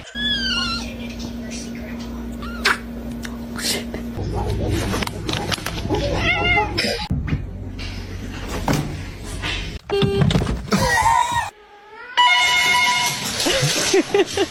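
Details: Domestic cats meowing in a compilation of funny cat scenes: several drawn-out, arching meows, some rising then falling, scattered between people talking to the pets, background music and a steady low hum.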